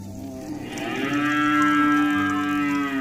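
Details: A cow in a herd heading home to its pen in the evening gives a long, level moo that swells after a breathy start and holds for about two seconds.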